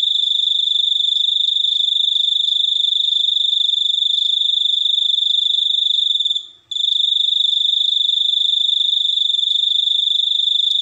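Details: Steady ringing cricket trill, high and metallic, with rapid pulses and one short silent gap midway.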